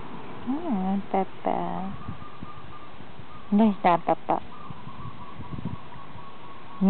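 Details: Lively puppies whining: short, tonal cries that arch up and then fall, each with bright overtones. One pair comes early and a quick cluster of four arrives midway, separated by quiet stretches and a faint steady hum.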